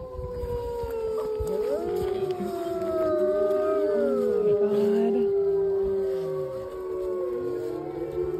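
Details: Several wolves howling together at the Lakota Wolf Preserve on March 5, 2023: overlapping long, steady, mid-pitched tones with rich overtones, some gliding up and down, forming a continuous layered chorus throughout.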